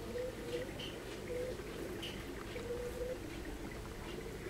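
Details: Western honey bees (Apis mellifera) inside a colony with queen, workers and drones make a dense, steady hive hum, with faint brief tones rising above it.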